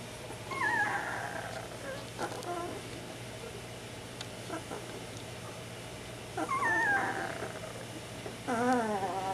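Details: Bernese Mountain Dog puppies, ten days old, squeaking in complaint as they wait for fresh bedding: a few short wavering whines scattered through the recording with gaps between, and a constant low hum underneath.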